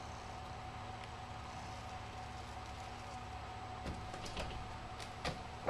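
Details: Quiet indoor hum with a few faint clicks and knocks near the end, and no voice from an animal.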